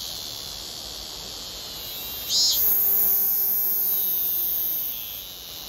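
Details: A male blackish cicada (Cryptotympana atrata) sings from a flood-control barrier above Ui stream during heavy-rain flooding. Its song is a dense, high, hissing buzz that swells for about three seconds and then eases, with a faint steady tone underneath.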